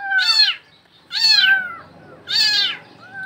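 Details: Trapped in a Bangladeshi well, a cat repeats three loud, arching meows roughly once a second, each bright and harmonic, falling in pitch toward the end.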